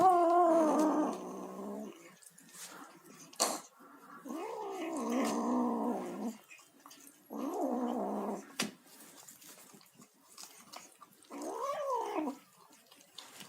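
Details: Kitten calling while feeding: a long, rough, growly mew opens the clip, followed by three shorter wavering mews with an arched rise and fall. Soft clicks and chewing sounds fill the gaps.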